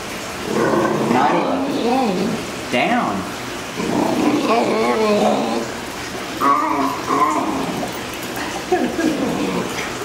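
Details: Nailah, a rescued female Basenji distracted by food on the dinner table, talks back with wavering, yodel-like howls as her male owner repeats "sit" and "down" commands while trying to teach her a new skill.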